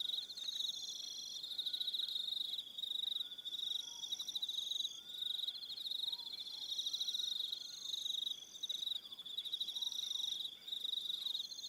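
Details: Crickets calling in the evening on Aroha Island, New Zealand: a dense, continuous high chirping chorus of rapid pulses with shimmering higher trills, and a few faint short whistled notes in the background.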